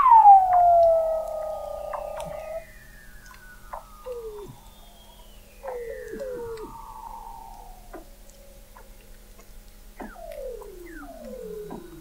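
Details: Under the sea ice of McMurdo Sound, Antarctica, Weddell seals heard from an observatory 21 m down in November 2017: a loud opening downward whistle, then a string of sliding descending sweeps and short dropping chirps, some overlapping.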